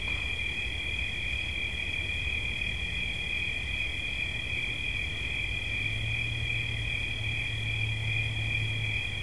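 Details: Unbroken shrill cricket trilling, two high steady tones layered without pause, above soft low rumbling noise, with a faint low hum rising in the second half.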